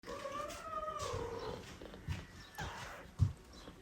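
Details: Older domestic cat meeting adopted foster kittens in a shared room; one drawn-out, level meow lasting over a second, followed by quiet room noise and a soft thump.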